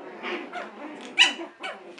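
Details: Six-week-old puppies from Sage's litter romping in their pen indoors; a run of short squeaky yips and whines in quick bursts, with one sharper high squeal near the middle.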